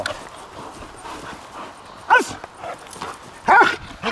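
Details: Female German Shepherd from Kraftwerk K9, a trained dog, gives two sharp, loud barks about a second and a half apart after a quiet stretch, with soft background rustling.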